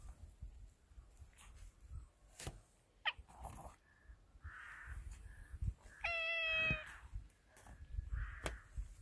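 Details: Black cat Margo out on a roof lets out one drawn-out, slightly wavering meow with a rich harmonic tone, lasting under a second, among scattered clicks, soft distant chirps and light outdoor noise.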